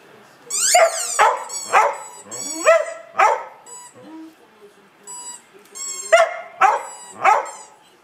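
A Border Collie sings in rising, yodelling howls, mixed with high squeaks from a squeaky toy.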